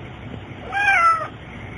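An American Shorthair cat gives a single clear meow that starts high and slides downward.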